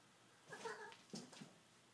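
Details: Male pet cat at play with a ribbon indoors in a living room; one brief meow followed by rustling and soft knocks.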